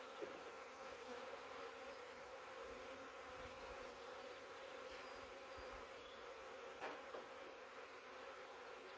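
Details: Swarm-trap catch of a massive honey bee swarm from a wild hive living in the woods for three years; thousands of bees give an unbroken, steady humming drone, with occasional faint knocks.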